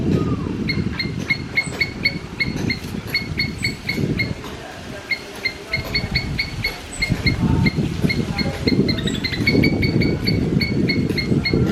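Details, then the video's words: Squirrel calling with short, sharp chirps repeated in quick bursts of several notes, pausing briefly between bursts, over a steady low rumble of outdoor background noise. "Squirrel making Sound"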